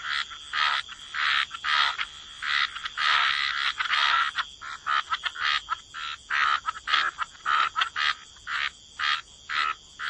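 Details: Frogs croaking by the waterside in a wetland chorus; rasping pulsed croaks in rapid, irregular bursts, overlapping callers, with short gaps between bursts toward the end.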